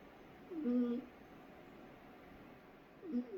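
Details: Cat snoring in its sleep, one squeaky, whistled snore near the start and a second briefer one near the end, with quiet room tone between.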